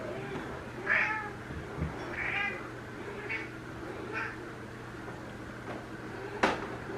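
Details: Female Ragdoll named Elsa, aged one and a half, in her first heat on its third day, gives sweet calls to a neutered male cat in a multi-cat home; four short rising meows, then quieter murmurs and a sharp click.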